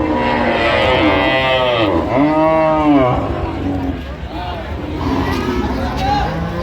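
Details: Cows and calves at the Ambari haat livestock market, Dinajpur, Bangladesh, on a Friday market day, 16 January 2026. Several arching, droning moos overlap, the loudest rising and falling midway, with crowd talk and vehicle noise behind.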